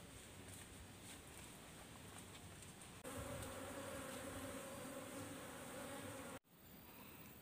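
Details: Asian honey bee (Apis cerana, locally nyiruan) colony that fled its nest and settled in a tisuk tree, being gathered for moving into a box; steady droning hum with low tonal bands, growing louder after three seconds, brief dropout near the end.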